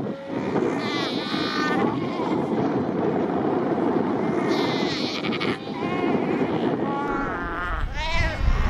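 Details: Bleating calls from a crowded Cape fur seal colony at Cape Cross, Skeleton Coast, where the animals number over 100,000. Several harsh, quavering cries overlap, with a rising wail near the end, all over loud crashing surf.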